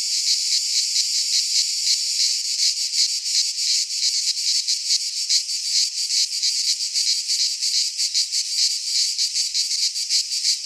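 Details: Greek pine forest cicadas singing in midsummer; a harsh, continuous rasping drone with rapid flickering pulses, the chorus growing denser toward the end.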